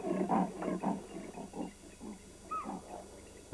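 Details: A male leopard in Sri Lankan jungle saws out a series of hoarse, rasping grunts like a saw through wood, a call telling rival males and possible mates he is around; spotted deer answer with whistling alarm calls.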